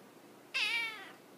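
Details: Siamese kitten, indoors, giving a single clear meow, a bright harmonic-rich cry that dips slightly and trails off over about half a second, in a quiet room.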